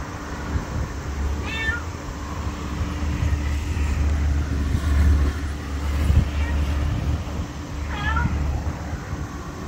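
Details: Small stray black cat, free-roaming near a LAWSON convenience store in August 2024, growing affectionate; two clear curving meows several seconds apart, with a loud low traffic drone underneath.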